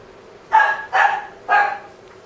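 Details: Three quick, high yapping barks from a white female Maltese born 21 April 2016 and housed at a pet shop; the second bark is slightly longer and the calls come about half a second apart.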